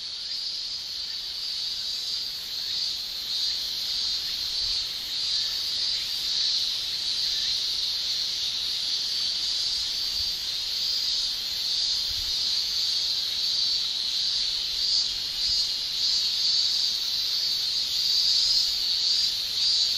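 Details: A Japanese summer chorus of male cicadas sounding their tymbals, a sustained high-pitched buzzing shrill that slowly grows louder toward the end over twenty seconds.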